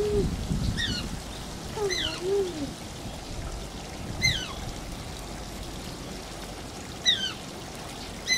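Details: Shishimaru, an Asian small-clawed otter at Oji Zoo, whines in short, high descending squeaks with bright overtones, spaced irregularly, alongside a few lower wavering tones and a constant trickle of running water.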